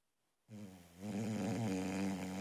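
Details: Loud snoring from a sleeping female Boxer puppy: after silence, a deep, rattling, harmonic snore begins, briefly eases, then grows louder and continues steadily to the end.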